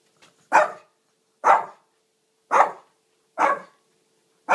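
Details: Shih Tzu barking indoors for a drink of water: five sharp, loud barks spaced about one second apart, each short and bright, with a faint steady hum in the background.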